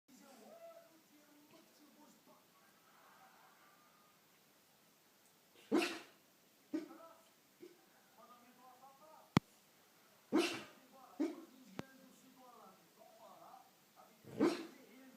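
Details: A sleeping dog, dreaming, makes strange noises: three short muffled woof-like bursts several seconds apart, with faint squeaky whimpers and soft murmuring sounds between them and a couple of sharp clicks.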